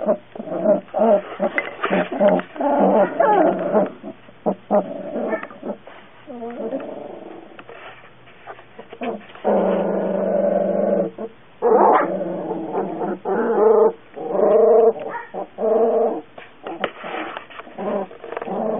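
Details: Puppy yelping and whimpering almost without pause, quick high cries alternating with longer drawn-out whines and a few rougher, growly notes.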